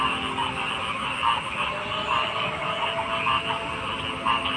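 A dense frog chorus hums steadily, with louder croaks breaking through about once a second.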